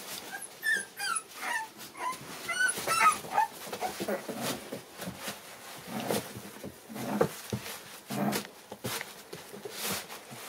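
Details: Several of seven American Bully puppies, born December 8, 2019, crowd together indoors; short high whimpers and squeaky yips rise and fall, thickest in the first few seconds, over rustling and shuffling.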